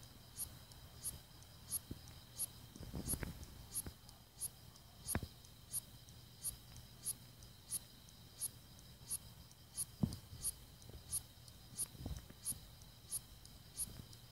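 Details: A Hexacentrus japonicus katydid stridulating at night in South Korea on 13 August 2016 gives sharp, high, ticking pulses at a steady rhythm, a little faster than one per second.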